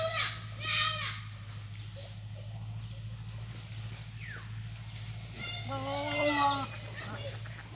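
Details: Goat filmed in a breeding setting: one drawn-out, steady, harmonic-rich bleat lasting about a second near the end, with human speech, children's voices and a constant low electrical hum throughout.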